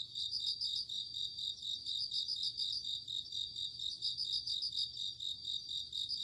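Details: Bell crickets and other crickets calling on an autumn night: shrill pulsed trills in close bursts with brief gaps, over an unbroken high insect chorus and soft low rumble.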